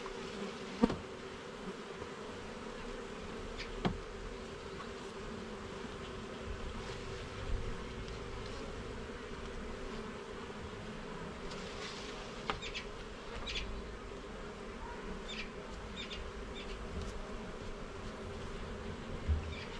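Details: Garden beehive under inspection, its honey bees producing a dense, unbroken buzzing drone; occasional clicks and taps from handled frames, plus light rustling in the middle stretch.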